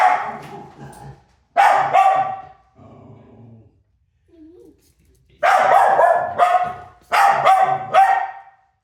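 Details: Maisy the dog gives clustered rapid barks while chasing, a few softer grumbling sounds and a quiet gap in the middle, then two loud bursts of three fast, rough barks each near the end.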